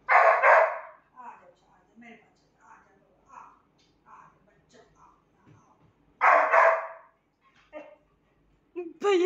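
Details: Saint Bernard puppy playing with its mother: two loud, broad barks about six seconds apart, with softer short yips and snuffling sounds between them.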